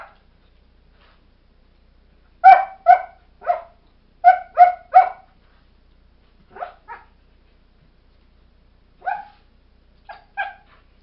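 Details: Airedale Terrier puppies Kodiak and Angle, four months old, barking back and forth at each other: clustered sharp yips in runs of three, then softer scattered single barks trailing off.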